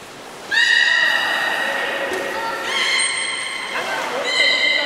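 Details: Belugas Nana and Hodoi at Port of Nagoya Public Aquarium, 11 August 2018, during a pool transfer where the swap failed and time ran out. Long, harmonic, squealing tones, held steady, then shifting upward, three drawn-out calls in succession.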